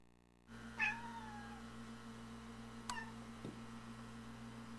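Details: Domestic cats indoors chattering at a robin spotted in the yard through the front window: one short, high, sliding vocal note, then a faint click, over a steady household hum.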